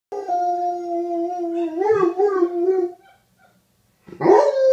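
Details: Dogs howl in long, steady, tonal wails that waver in pitch, with a second voice joining. An old male is teaching a young male to howl while a female is on her second day in heat, so the males are giving mating calls.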